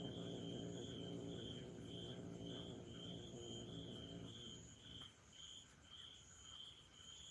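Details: Angry orange tabby kitten Char, aged one year four months and upset after being left alone during a trial, growls in a low, sustained rumble for about four seconds before falling quiet, with crickets chirping rhythmically behind.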